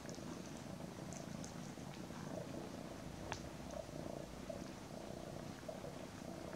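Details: Domestic cat mother cuddling two kittens named Daisy and Aragon, nearly ten weeks old; continuous soft purring rumble with faint small clicks and rustles.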